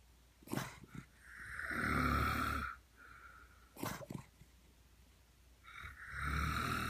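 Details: Rat terrier asleep and snoring in step with its sleeping owner; raspy, low rumbling snores with a breathy, whistly overtone swell at about 2 and 6.3 seconds, separated by short sharp snorts and sniffs.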